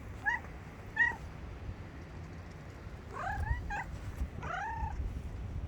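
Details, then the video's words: A grey cat meowing: two short, rising-falling meows close together, then after a pause three more drawn-out, bending meows, over a low background rumble. "חתול אפור משמיע קולות A grey cat making a sound"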